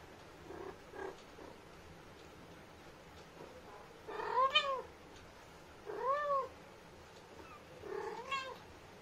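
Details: Lilly, a talkative Indian street cat, calls to her kittens with three arched, harmonic-rich meows spaced about two seconds apart, plus a few softer chirps early on, against quiet indoor background hiss.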